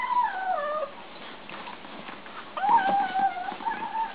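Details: Kittens making noises while eating: two drawn-out, wavering mews, the first falling in pitch, the second fluttering and level, separated by a quieter gap of faint background rustle.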